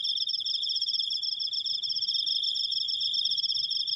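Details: Long cricket trill, a steady shrill ringing of fast pulses that holds at one high pitch throughout, with only a faint low hum beneath.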